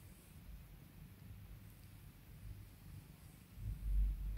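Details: Domestic cat being soothed and pampered by its owner, purring in a soft, low, pulsing rumble that swells into a louder, deeper burst near the end.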